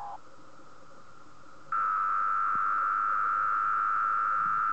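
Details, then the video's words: Night-time cicada song at 3 am on a moth sheet, males vibrating drum-like tymbals; a softer, even hum swells abruptly into a loud, unbroken buzzing tone that holds steady for the final three seconds. "M Cicada SING on sheet"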